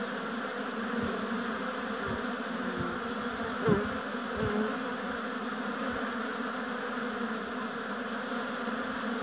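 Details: Massed buzzing of honey bees at an apiary hive: an even, unbroken droning hum, with one bee passing close near the middle as a short louder swell before the colony's steady drone resumes.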